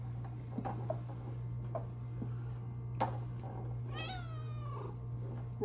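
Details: Pet cat Luna perches at her favourite indoor window while being petted. After soft taps and rustles, she gives a single clear, falling meow with a steady background hum.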